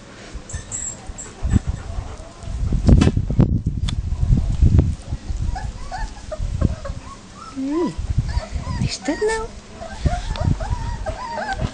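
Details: Leonberger dogs, with puppies outside for the first time, where adult dogs start barking and panic breaks out among the puppies; deep thumping barks in the first half, then thin rising whines and squeals, with people speaking.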